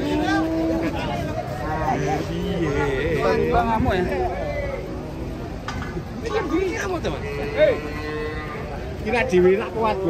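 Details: Cattle unloading from a truck, described as raging, moo repeatedly in overlapping low, wavering calls, several animals at once, with people talking nearby and bustle in the background.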